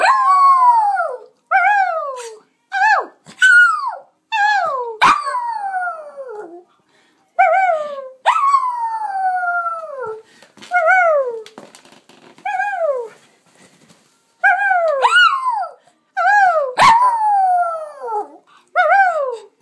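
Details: A female Lhasa Apso howls along with her owner in a string of short, wavering cries that slide downward in pitch.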